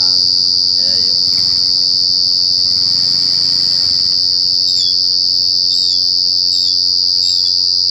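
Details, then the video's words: Loud cricket chirping, a continuous shrill high-pitched trill that never lets up, with faint murmuring voices early on and a few thin, brief chirps later. "jangkrik ngerik Sampek cemering neng kuping"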